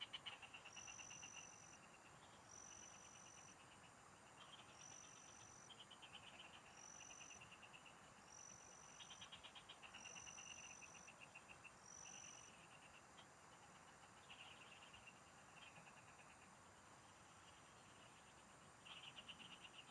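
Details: Frog chorus in the fields, recorded while fishing: repeated rattling pulse trains from several callers come and go for twenty seconds, with regular high insect whistles and a fainter still-higher tone in the background.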